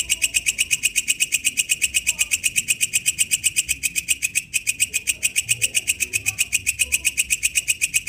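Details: In the wild, a walang kecek katydid stridulates in a fast, regular train of high, scratchy pulses, about four per second, with a brief hitch near the middle and faint low sounds behind.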